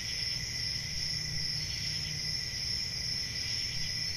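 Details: Steady shrill cricket chorus on a peaceful summer night in the country, an unbroken high trill with a lower second band and a gentle low rumble underneath.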